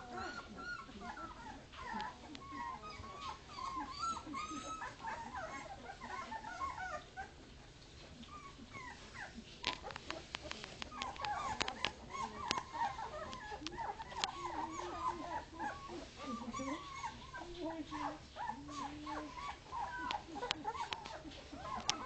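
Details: Leonberger puppies two weeks old, from a 2010 litter, crying for their mother as a man comforts them; soft, quavering whimpers and whines come continuously from several pups, with a few clicks and rustles.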